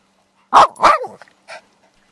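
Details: Whippet giving two sharp, close barks, then a shorter, fainter third bark about half a second later, with quiet between them.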